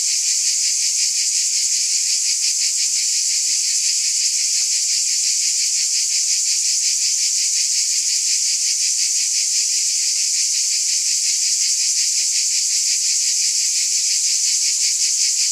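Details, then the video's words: Insect chorus of cicadas: a constant shrill, hissing drone with a fine rapid pulsation, roughly three beats a second, holding level with no pauses and no other animals or voices. "Scintillating Cicadas"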